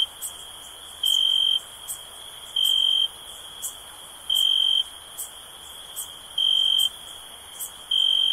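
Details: Shrill cricket chirps, each a flat, even half-second tone, repeating about every one and a half seconds above a constant high insect buzz with scattered soft clicks.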